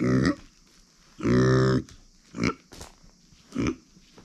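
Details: Female micro pig kept as a household pet, born September 2020, grunting loudly: a short grunt, a long drawn-out nasal grunt of about half a second, then two more brief grunts at regular intervals.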